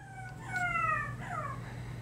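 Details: A new puppy makes high, drawn-out whining cries in the middle of the night, likened to lion cub noises; a slightly falling tonal wail over a steady low hum.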